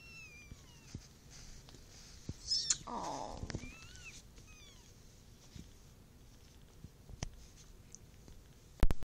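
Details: Four kittens born on August 14th 2013, with their mother nearby, in their first purr: thin high mews slide up and down several times over a soft low rumble, with a louder burst midway and a sharp click at the end.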